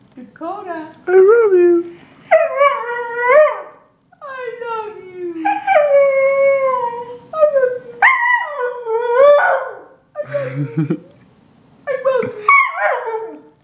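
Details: A Siberian Husky yowls in rising and falling, speech-like phrases, as if saying "I love you".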